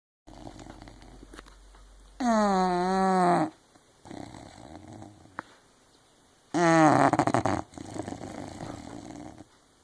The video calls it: English bulldog Zella snoring